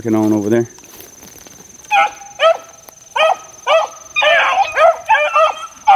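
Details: Young Beagle pups, four months old, worked outdoors in the wild; a low human voice opens, then arched, ringing yelps that rise and fall repeat in short bursts about every half second to second.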